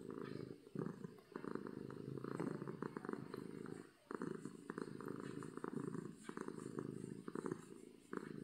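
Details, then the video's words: Loud purrs from a contented domestic cat, purring out of happiness, a low, throaty rumble that swells and fades with each breath, with a brief pause near the middle. "Cat Purring from Happiness"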